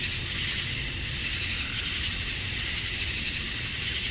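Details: Summer-night chorus of male cicadas in Georgia, USA, at dusk, chirping to draw females; an unbroken, even, high buzzing wall of sound with faint rhythmic throbbing.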